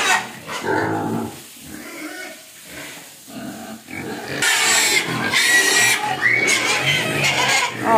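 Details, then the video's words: Hungry pig crying and begging for food, giving harsh broadband squeals and grunts in bursts, loudest in the second half, with a person talking softly in between. "Babi Nangis Minta Makan"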